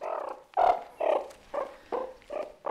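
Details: Meerkat contact calls from ten different individuals, each with its own call that group members recognise, from southern Africa. Six short, throaty, tonal calls come in steady succession about every half second, each a brief mid-pitched burst with clear harmonics.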